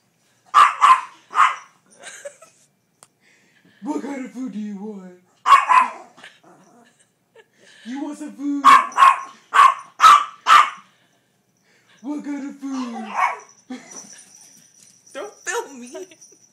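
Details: A tiny four-pound dog barks demanding food: sharp yappy barks in quick bursts, about two per second, alternating with a person repeatedly asking if it wants some food.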